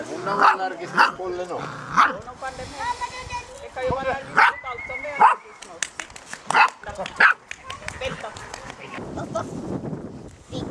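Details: A litter of ten six-week-old Golden Retriever puppies romping in a garden: sharp repeated yips and small barks, some drawn out into whiny tones, come in quick bursts roughly every half second to second, with people talking nearby.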